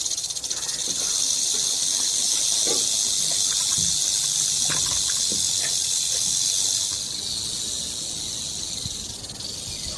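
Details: Rattlesnake rattling in a steady, dry, high-pitched buzz that swells louder after the first second and holds, then eases slightly near the seventh second, with a few faint clicks beneath.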